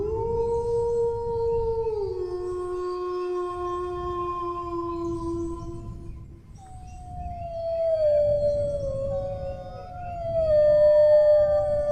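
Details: Drawn-out dog howls: a steady tone stepping down after two seconds, a pause, then several new howls sliding downward in overlapping, wavering lines, over a low rumbling background.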